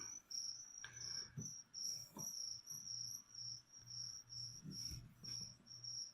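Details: High, ringing chirps from feeder crickets meant for a leopard gecko, repeated about twice a second in an even, pulsing series over six seconds, with faint tapping and rustling beneath.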